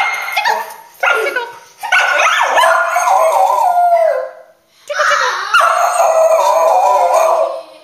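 A cockapoo gives drawn-out howls that waver and slide in pitch, breaking into yips at times. Two sustained bouts are separated by a short silence, with faint human voices mixed in.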